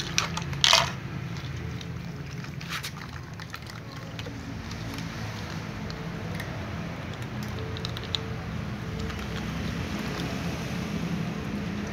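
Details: Low steady background rumble with a few brief clicks and taps, with no animal voice heard.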